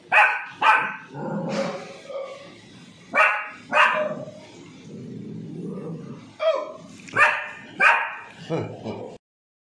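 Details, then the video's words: Pomeranian puppy giving short, sharp, high yapping barks, single and in quick pairs, with pauses between bursts and a person talking softly in the gaps. "Pomeranian puppy Barking"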